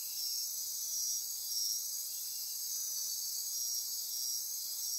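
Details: Nighttime rainforest insects near Corcovado National Park, Osa Peninsula, Costa Rica, forming a dense high buzzing and trilling chorus; short bright pulses repeat rapidly and irregularly above the constant drone.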